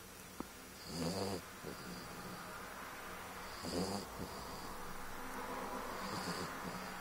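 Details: Sleeping French bulldog, two years old, snoring: three rough, buzzing inhalations with a thin high whistle on top, spaced roughly two and a half seconds apart, then quieter breathing.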